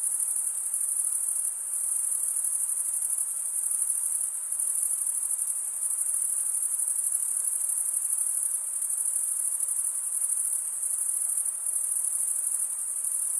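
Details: Dense cricket chirping from stridulating males: an even, piercing high trill sustained the whole way, with slight rhythmic swells in loudness every couple of seconds.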